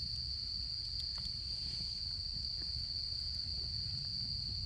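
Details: A continuous shrill trill of autumn insects rings on without pause during the autumn camping season in Japan, while a campfire crackles low with occasional sharp snaps.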